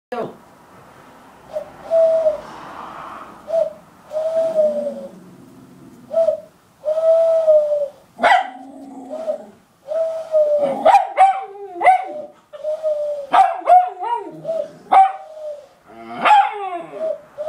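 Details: West Highland White Terrier howling like a wolf, its growl-like voice rising into steady tonal wails held about a second each and repeated every couple of seconds, breaking into sharper, higher yelping cries toward the end.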